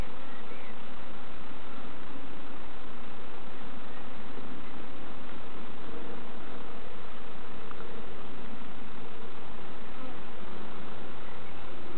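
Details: Dense, unbroken droning of many honey bees during a hive inspection by novices at Summerwood Lane Allotments and Community Garden, a thick, even hum filling the whole stretch with no voices.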